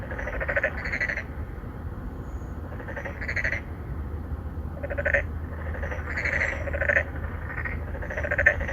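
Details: Three or four narrow-mouthed frogs (맹꽁이) call to court females from a pond in an apartment complex in Songdo, Incheon, Korea, recorded on a Galaxy Note9. Short pulsed, nasal croaks overlap in bursts about every one to two seconds over a steady low hum.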